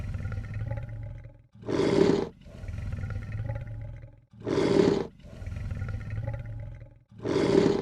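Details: A lion hisses in a steady cycle: three short, explosive, raspy bursts, one roughly every two and a half to three seconds, each separated by a quieter, deep, grumbling growl. Nothing else is audible.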